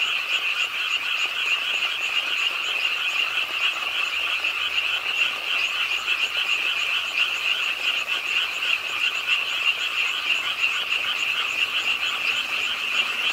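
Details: Numerous frogs calling together at a city park pond in Suwon during nighttime rain, their rattling croaks merging into a constant high, grating hum with a faint rapid flutter.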